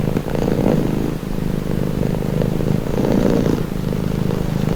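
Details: Domestic cat purring in a calming recording: a steady low rumbling drone with a slight rasp, swelling louder twice, around the first second and again past three seconds, with no other sounds.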